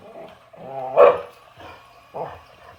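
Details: Boxer dog barking while facing an excavator: a low, growly harmonic lead-in swells into one sharp, loud bark, followed by softer, shorter bark-like bursts.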